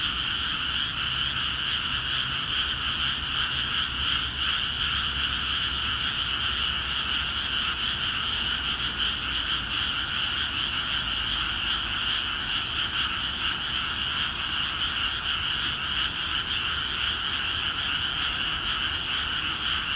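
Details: Frog chorus from flooded rice fields in Akiha Ward, the frogs calling actively once water entered the paddies; twenty seconds of steady, thick pulsed croaking without gaps, a faint low drone underneath throughout.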